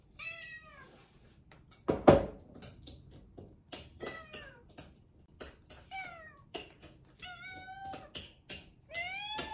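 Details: British Shorthair cat, rescued and adopted, meowing insistently for breakfast: frequent short descending meows, several in quick runs, mixed with loud clattering and tapping indoors, one heavy bang early on.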